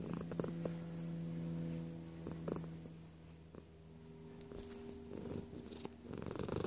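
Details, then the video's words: Cat purring up close. A low rumbling drone runs beneath faint steady tones, then softens midway before growing louder again toward the end. "Feline Observational Video XXI - Close Purr"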